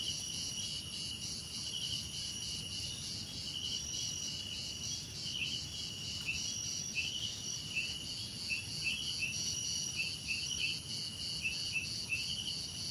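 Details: A continuous cricket chorus of shrill, pulsed high trills layered in several bands, with short bright chirps scattered through the second half and a soft low rumble beneath.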